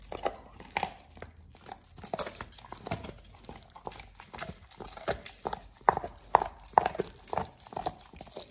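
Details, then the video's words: Chewing by Oliang the Pit Bull on a raw ostrich paw for the first time, a snack for healthy teeth and jaw exercise; rapid crunchy bites, over two per second, wet and crackling, recorded close in a quiet room. "Oliang the Pit Bull 1st time eats Raw Ostrich PAW [ASMR] BARF | MUKBANG 動物の咀嚼音 | 犬が生の肉を食べる"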